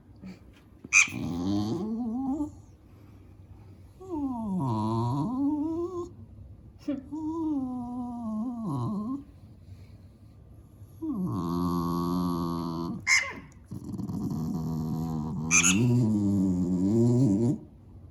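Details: Dog complaining about squeaking sounds from a mouse game for cats on a tablet, ignoring the mice. A series of wavering, howl-like moans that dip and rise, in bursts with pauses, punctuated by sharp high squeaks from the game.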